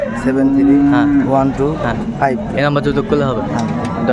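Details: Hariana bullock cattle from India at a market where Chittagong traders buy, 21 April 2024; one steady, level low moo held for about a second, then broken lowing under busy overlapping voices.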